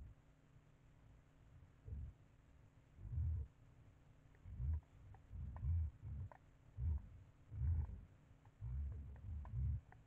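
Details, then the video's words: White-lipped peccary at a bait site giving deep, low rumbling grunts in bursts about every second, interspersed with sharp dry clicks; quiet background between grunts. "porco queixada na ceva"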